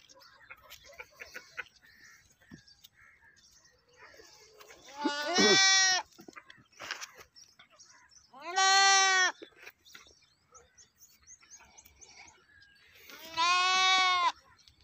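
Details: A goat gives three loud wavering bleats spaced several seconds apart, each nasal and harmonic-rich, over a low murmur of background noise and faint rustling.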